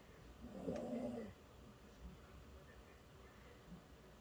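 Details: Bonggu, a poodle worn out from a walk, gives a single short raspy snore lasting under a second, followed by quiet breathing in a still room.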